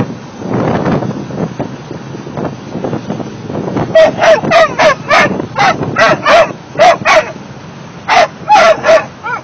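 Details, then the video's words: Sixteen-week-old mastiff puppies singing together: after a murmur of low background noise, a run of short, high, tonal yelps and wavering howls starts midway, rising and falling in quick bursts, with brief pauses between groups. "16 week old mastiff pups singing"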